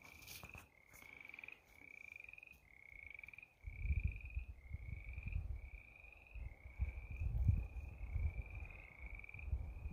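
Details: Frogs at a pond beside the Continental Divide Trail near Chama during a 2022 thru-hike on a hot day; short, clear, slightly rising peeps repeated roughly every 0.7 seconds, with low rumbling from footsteps and handling underneath.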